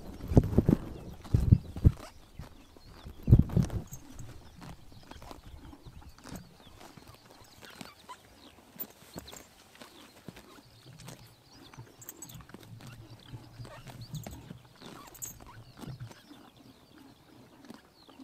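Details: Mongolian horses cropping grass on a summer morning in the sun: loud, close bursts of crunchy tearing bites in the first few seconds, then softer, scattered chewing snaps over a low rumble.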